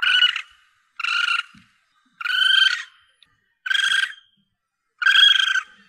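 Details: Young Asian palm civet, recording used to lure targets for hunting: five short, harmonic squealing calls of about half a second each, spaced roughly a second apart, with silence between.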